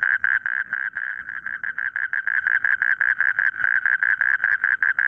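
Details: Frog calls from a rice field: short nasal croaks repeated in a fast, slightly uneven rhythm of about three per second, loud and steady across the whole stretch, with faint low background noise.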